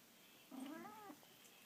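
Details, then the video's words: Quiet pet cat indoors, soft-spoken, giving a single drawn-out meow of about six tenths of a second that rises gently then falls, with faint room hum behind. "makes cute kitty sounds!"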